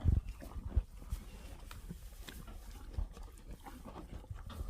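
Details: Cows eating, heard as steady low crunching and chewing with irregular munching bursts throughout, no calls.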